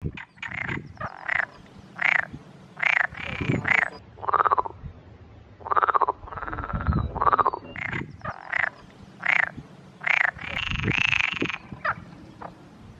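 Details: Male Perez's frogs (Pelophylax perezi) chorusing with inflated vocal sacs in a valley pond in the Montes de Toledo on a hot May afternoon: loud, harsh rattling croaks repeated every second or so, overlapping, with some longer grating calls.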